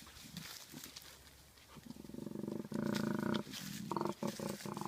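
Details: A male koala gives a deep, rasping bellow of rapid snoring pulses that swells into loud grunting bursts, a characteristic territory/challenge call in mating season.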